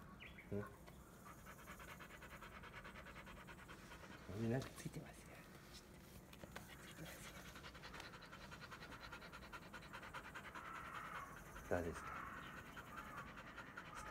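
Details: A black Labrador Retriever named Bee-chan, shedding her undercoat, breathes in steady fast pants during brushing on a hot day, while people chat nearby and a few sharp knocks and thumps break in.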